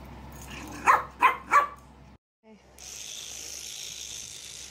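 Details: Puppies give three short, high yelping barks in quick succession within half a second, each with a bright harmonic ring, then fall silent before a steady hiss of background noise takes over.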